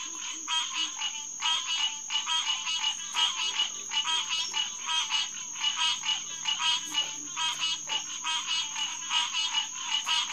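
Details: A June night chorus of green tree frogs at Headquarters Pond, SMNWR, 2021: a nearby caller gives clear, evenly spaced honking notes about twice per second above a continuous background of other frogs.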